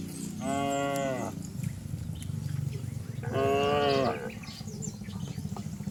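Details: Cattle racing down a green hill in a rural village: two firm moos roughly three seconds apart over a rumbling low background of hooves and movement, with faint birdsong.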